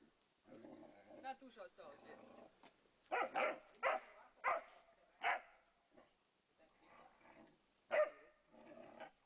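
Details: Landseer puppy Mira pestering Lenny, a Flat-coated Retriever: rough grumbling growls broken by sharp, loud yapping barks in quick bursts, clustered around the middle and again near the end, with quieter rumbling between.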